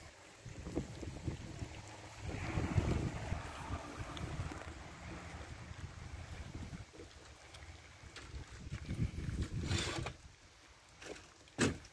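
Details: Low rumbling wind-like noise with scattered handling thumps and brief rustles; no animal sound is heard.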